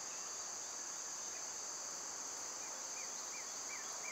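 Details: High, unbroken cicada drone typical of their loud summer season, joined toward the end by four or five short, sliding bird chirps.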